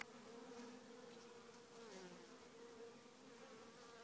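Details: Queenless swarm of honey bees in a small hive, humming continuously: an even, buzzy drone holding a wavering mid tone, individual wingbeats rising and falling briefly against the constant mass of sound.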